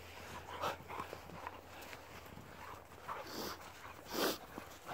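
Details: Tornjak dogs outdoors give a few short, strained whimpering yelps near the start, around three seconds and again just past four seconds, between soft rustling and footstep-like noises.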